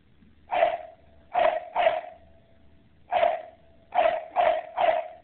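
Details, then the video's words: Dogs barking in sharp, short bursts: seven barks in irregular clusters of one to three over about five seconds, each with a faint lingering ring between them. "Barking Dogs"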